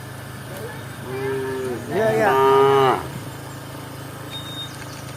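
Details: Tame village cow from Embooh wandering around gives one loud, harmonic moo rising then holding steady, about a second long, over a low engine hum.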